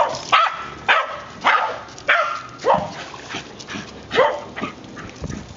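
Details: Ginger, a 5-year-old white female terrier, plays in the water at Pensacola's "Dog Beach" Dog Park in Bayou Texar, chasing a thrown ball. She gives a run of sharp, repeated barks roughly every half second, about nine in under six seconds.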